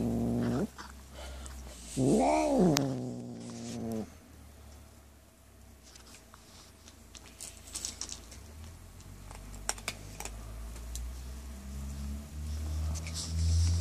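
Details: Pet cat growling while eating cat food, guarding it when petted; a loud, drawn-out moaning growl rises and falls over about two seconds, then quieter low rumbling and chewing noises follow.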